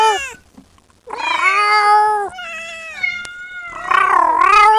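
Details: Kitten calling its mother: loud, drawn-out meows with rich harmonics, one wavering and bending in pitch, others steady, separated by short quiet gaps, with a faint low hum beneath.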